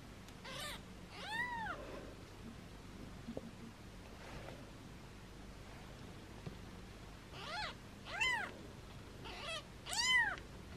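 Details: Foster kittens mewing while held in hands, mother cat close by: scattered high, arched squeaky mews, two near the start and a cluster of sharper ones toward the end, separated by a quiet stretch.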